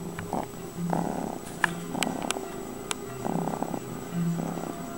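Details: Domestic cat purring close up: a low, steady rumble that swells and fades in alternating breathing phases about once a second, with a few faint clicks.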